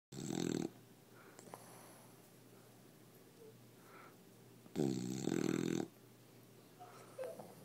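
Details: Seven-month-old bulldog asleep in a person's arms, snoring: two loud rasping snorts, one at the start and a longer one near five seconds, with quieter breathy wheezes in between, indoors.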